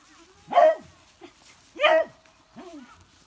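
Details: Young beagle puppies on Amami Oshima, Japan, recorded as filmed: two loud yappy barks about 1.3 seconds apart, then a softer descending whine, with small squeaks in between.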